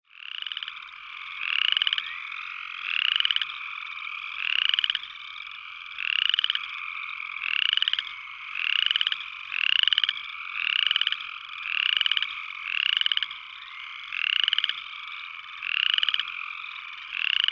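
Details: Upland chorus frog giving rapid pulsed trills that rise in pitch, repeated roughly every second in a steady series, over a constant background hum of more chorusing frogs.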